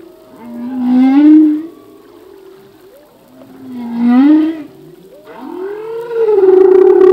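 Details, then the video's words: Male humpback whale singing in the ocean. Three drawn-out tonal moans, each rising and swelling before fading, arrive roughly every two and a half seconds. The last moan is the loudest and steadiest. "Whale song - full length humpback whale song"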